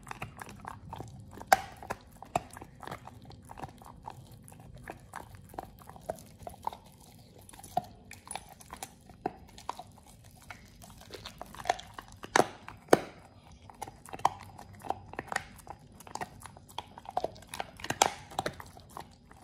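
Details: Indoors, Oliang, a Pit Bull, works on a raw ostrich paw: sparse irregular crunches and snapping bites, with quieter gnawing between louder cracks near the middle and end.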